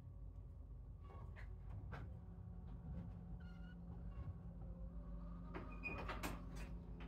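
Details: Young kittens in a playpen shared with sheep, some leaving the sibling pile to explore; a few short, high, thin mews come and go over a steady low hum, with scattered knocks and clatter.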